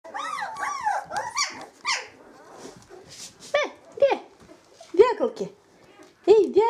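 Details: Samoyed puppies 18 days old, calling indoors: arched, squeaky harmonic squeals and whimpers, rising and falling, in short bursts separated by brief pauses.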